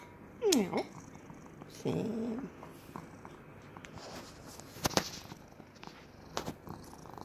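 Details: A rescued domestic cat in Cooktown, Queensland, Australia, purrs in a steady, low rumble while being patted under the chin, and gives a short falling meow.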